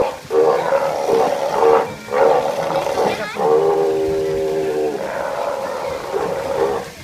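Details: Steller sea lion giving a series of loud, harmonically rich groaning roars, some short and some held for about a second and a half, with brief pauses between bursts.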